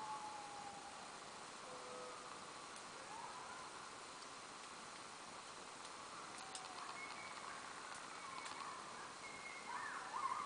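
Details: Distant coyotes howl at twilight in thin, wavering tones that slide up and down, with brief yips breaking in.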